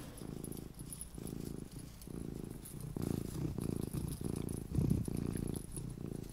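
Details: Deep, continuous purring from Luna, a mini pet cat. The rough, grainy rumble swells and eases with each breath, in pulses a little under a second apart, close and clear over a soft hiss.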